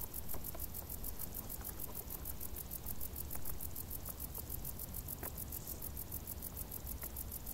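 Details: High, rapidly repeated cricket chirps rise from tall summer grass, a regular pulsing shimmer over dense low rumble, broken by a few brief ticking sounds.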